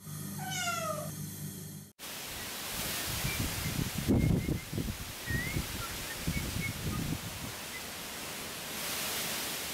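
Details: Kitten Chloe, adopted 31 days earlier, exploring plant pots in a safely enclosed outdoor space on 3 November 2014, gives one short falling meow with rich harmonics. Strong gusting Tramontane (Mistral) wind then takes over, with faint bird chirps.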